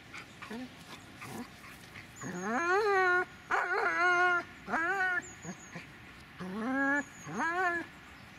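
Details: A Dobermann gives drawn-out, tonal whining cries that rise and then hold. About six cries come in uneven bursts, some short and some over a second long, against steady low background hum.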